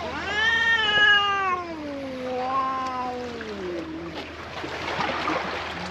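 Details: Black stray cat that had been bullied behind an embankment and was rescued, giving a long drawn-out wailing meow that slides downward over about four seconds, then fades into rustling background noise.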